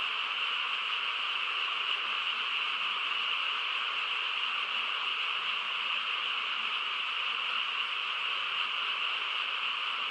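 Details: Nighttime chorus of frogs in quiet countryside, a steady, dense hum of overlapping calls that never pauses or changes pace.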